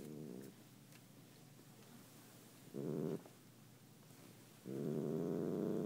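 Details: Cat purring in three loud bursts separated by quieter stretches, a coarse low rumbling rhythm with the final burst longest and strongest.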